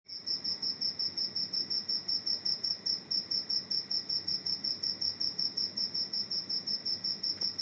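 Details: A cricket that had entered a house chirps steadily indoors, giving high, shrill pulses about three times a second.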